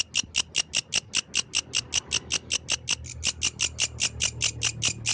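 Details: Yellow grasshopper singing at night in the wild: a steady run of about 26 short, dry, hissing chirps, evenly spaced at roughly five per second, high-pitched and scratchy, with a faint low hum behind.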